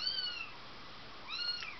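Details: Four-week-old Bengal kitten at its breeder's in December 2007 gives two high, thin meows, each sliding downward with clear overtones, separated by about a second of quiet.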